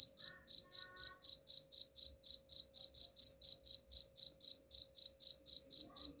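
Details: Steady cricket chirps, played to drive rats away, ring out high and bright at roughly four pulses each second without a break, with a faint low hum underneath.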